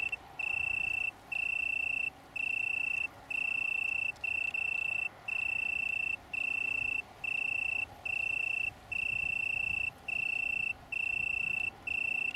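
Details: Italian tree cricket (Oecanthus pellucens) from a small colony on downland near Brighton, UK, recorded 21 September 2019: a pure, steady trill with overtones, running in long bursts of about a second separated by short gaps.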